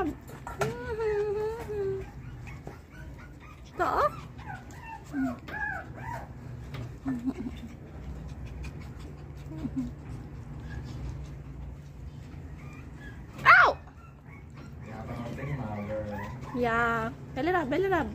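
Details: Pomeranian dogs giving high, wavering whines and short yips, several overlapping with rising and falling pitch, plus one sharp loud bark near the end and low background hum throughout.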